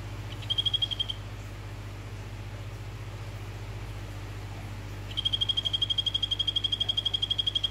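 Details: A male Phyllobates vittatus of the orange form calls to a female with a short, high, rattling trill, then after a pause a longer steady trill of quick even pulses runs to the end, with low background hum.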